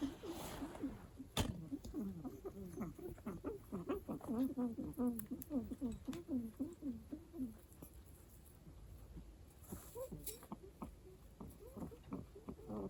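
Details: Pet guinea pig indoors making strange noises: a run of low, rapid, wavering chirruping notes, clustered in a burst around the middle, with soft clicks and handling sounds throughout.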